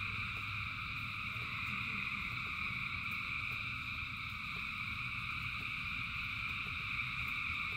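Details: Rain falling while thousands of frogs sing together, a seamless high-pitched trilling drone in stacked tones, steady from start to end, with low rain patter underneath.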